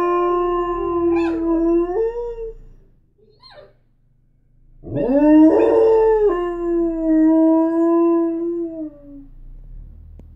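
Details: A Border Collie Lab mix howls at the TV. It gives two long, sustained, mournful howls with a short quiet gap between them. The second rises, holds steady, and then slowly slides lower as it fades. A low hum runs underneath.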